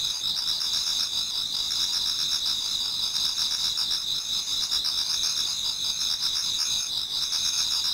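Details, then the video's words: Many insects singing in a Japanese garden on an autumn night towards dawn; a dense, continuous high-pitched chorus of shimmering trills with steady pulsing bands, no other clear sounds. "Autumn Insects voice Towards dawn"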